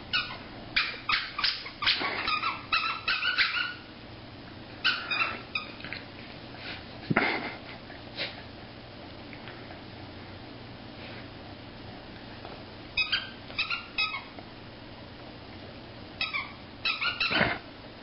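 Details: A corgi "attacking" a giraffe gives bursts of sharp, high yapping barks in quick clusters, with pauses between.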